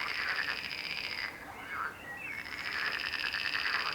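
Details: Chorus of croaking frogs, a continuous buzzy trill broken by a short pause midway, with a few bending, quacking croaks filling the gap before the rolling buzz returns.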